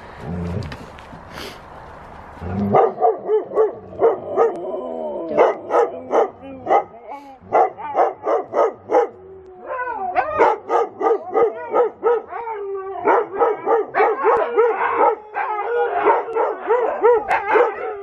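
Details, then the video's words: Loud watch dogs in the morning, making repeated short harmonic barks and yips that run into a rapid chorus of wavering howl-like calls, about three per second, with a softer noisy stretch at the start. "Loud watch dogs"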